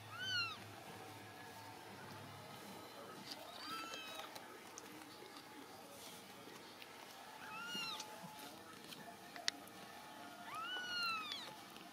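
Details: Ragdoll kittens, home-raised without cages at a central Kansas cattery, give four high, thin, downward-curving mews spaced roughly three to four seconds apart, each with bright overtones, over a low indoor hum with faint talking.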